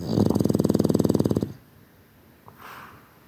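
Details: Boston Terrier asleep, giving one loud rattling snore of fast even pulses lasting about one and a half seconds, then near silence with a faint breathy exhale.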